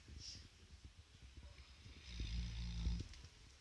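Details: Central Asian Shepherd Dog (Alabai) snoring while asleep at work: soft low rumbling breaths, then one louder, drawn-out droning snore near the end, followed by a man's voice.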